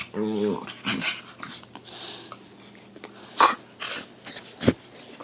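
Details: Pit Bull in a small indoor room in the morning making silly noises: a brief low harmonic groaning whine opens, followed by breathy snorts and a few sharp huffs scattered through the quiet.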